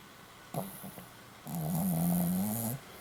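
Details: A sleeping Pomeranian snores in a quiet room. A brief snort comes first, then a drawn-out, low, buzzy snore of about a second that holds a steady droning pitch and rises slightly at its end.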